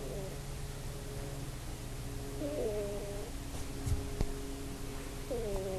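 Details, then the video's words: Sleeping pet cat on a bed, captured on an iPod, snoring with fart-like tones: drawn-out, buzzy snores that waver up and down, spaced a few seconds apart, with a constant low room hum and a faint click. "Fart Snoring Cat"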